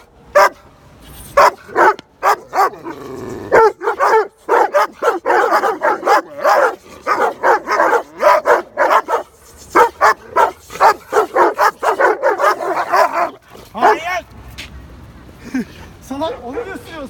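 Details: Dogo Argentino barking at other dogs it does not know in a neighbourhood park; long, dense stretch of rapid, rough barks that sometimes blur together, easing off near the end with a few whining notes.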